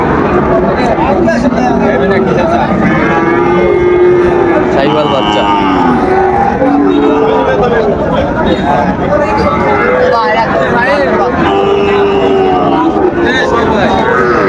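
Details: Sahiwal bull calves at Raniganj cattle market on 5 September 2024 give long, level, low moos over steady crowd chatter and bargaining voices.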